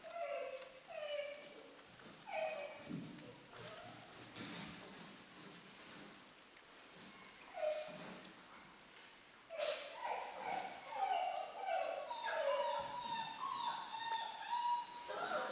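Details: Litter of German Shorthaired Pointer puppies at four weeks old. They make repeated short, tonal whimpers that slide downward, coming in clusters every second or two. The cries build into a dense chorus of overlapping squeals in the second half.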